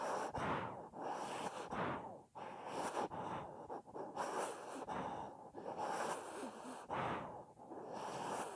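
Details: Sleeping pet dog in deep sleep, snoring loudly: rough, breathy broadband snores repeating roughly once a second, each a harsh wheezing rasp with short quiet gaps between breaths.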